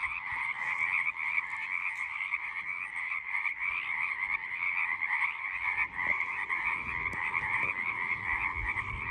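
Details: Frog chorus heard cleanly: a continuous, dense pulsing croak from many callers in two steady pitch layers, with only faint low rumbles and a couple of brief clicks in the background.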